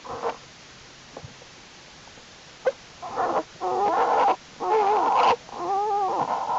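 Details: Winter den of Jewel, an American black bear, with her cubs active in unusually warm January temperatures; faint clicks give way to three long, wavering, whining cries with bending pitch.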